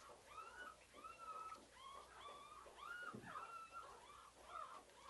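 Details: Pink Collar, a white female CKC purebred pug puppy, gives a run of high, thin whines, each a short rising-then-falling note repeated roughly every half second, with a faint background hiss.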